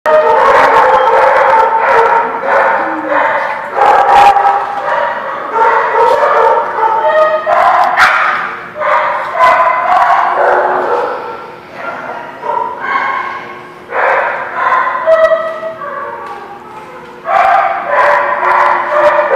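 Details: Several dogs at a dog park called The Barking Lot, recorded 17 April 2017, barking almost continuously in overlapping bursts, with yips and some human voices mixed in.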